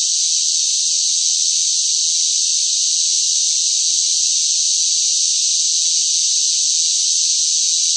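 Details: Cicadas fill the air in hot summer heat with a loud, unbroken, high-pitched buzzing drone.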